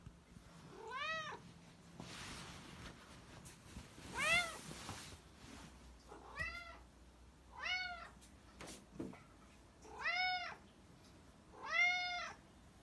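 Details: Repeated meowing from a black pet cat, about six rising-then-falling meows roughly every one to two seconds, interspersed with brief rustling and knocking noises.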